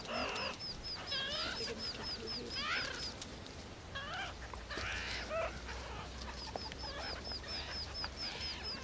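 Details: Meerkat babies begging loudly for food from babysitters, giving rapid rising and falling squeals and buzzy harmonic cries in quick bursts, over a steady run of tiny high-pitched chirps and a low background hum.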